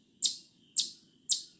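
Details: Eastern chipmunk giving three sharp, very high, clipped chips, each a quick bright burst that fades fast, spaced about half a second apart, over a quiet background.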